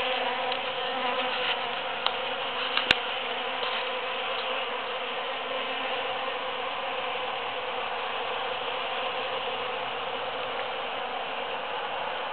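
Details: Several bees foraging through huge cactus flowers after the June 22, 2013 Super-Full Moon: a steady, droning hum with layered low tones over a constant hiss, broken by one sharp click near three seconds.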